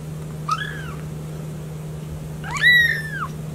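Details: Two kitten mews: a short, soft rising-falling cry, then after a pause a longer, louder meow that climbs and slowly drops, both above a constant low electrical hum.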